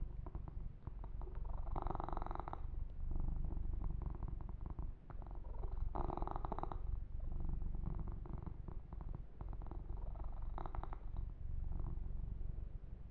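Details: Yumak, a pet kitten, purrs through a massage session: deep, even rumbling throughout, broken by three louder rustling strokes of fur grooming around two, six and eleven seconds.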